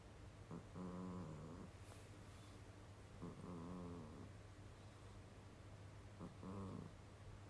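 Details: Pet cat asleep and snoring in a humanlike way. Three buzzy, rattling snores, each about a second long, arrive roughly every three seconds, with a faint low hum underneath.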